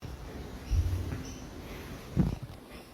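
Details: A male koala gives deep, rasping grunts in short low bursts, a sound made when it is happy.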